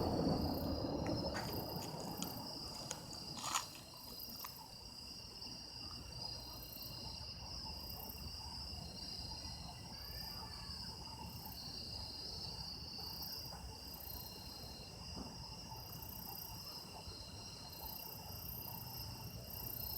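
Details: Chorus of autumn insects captured for sound effects: layered, unbroken high trills ring steadily throughout, while a few brief knocks and rustles early on and a faint low murmur sit beneath.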